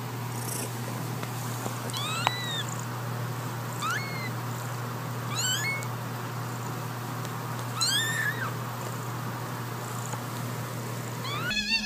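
A kitten gives thin, high-pitched meows, each an arched rise and fall, roughly every two seconds.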